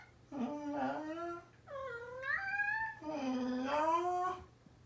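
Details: Male orange tabby pet cat, formerly a rescue kitten at a cat cafe, meowing indoors as its owner mimics each call; three long, loud meows in quick succession, lower ones rising steadily and a higher middle one climbing sharply.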